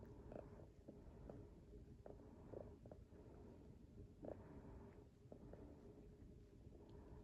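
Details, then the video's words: Domestic cat purring while politely grooming itself before bedtime, indoors; a soft, continuous low rumble runs throughout, broken by short wet clicking and smacking grooming noises at irregular intervals. "Pre Bedtime Polite Cat Grooming with Funny noises and Purring"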